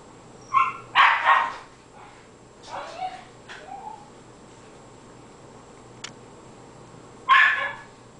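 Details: Cairn terrier going wild while a squirrel plays in deep winter snow, about eight inches; a quick double bark, a few softer yelps, a long pause, then another loud bark.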